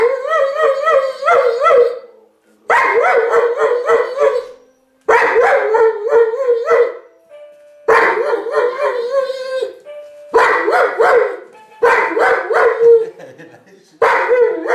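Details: Giant schnauzer giving about seven drawn-out, quavering howls, each lasting one to two seconds with brief pauses between, the tone bending and wobbling throughout.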